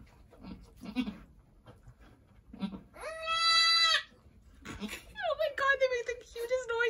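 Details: Bleating from Angora goats during a birth at Lost Goat Ranch, where a doe delivered two red buck kids before sunset, March 7, 2020: one long steady bleat held about a second, then falling, wavering cries, with quiet human voices before.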